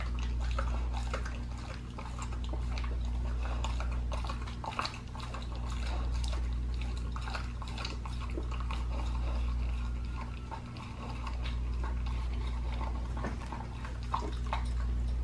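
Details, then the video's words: Pit bull working through a raw leg of lamb as part of a raw diet; steady moist chomping and tearing clicks run continuously, swelling and fading in waves, over a low droning indoor hum. "PITBULL EATING RAW LEG OF LAMB"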